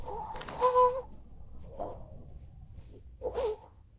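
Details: A cat, called naughty, gives one short, clear, harmonic meow just before the one-second mark, then a quieter, hoarse cry near the end, over soft hiss and faint indoor noise.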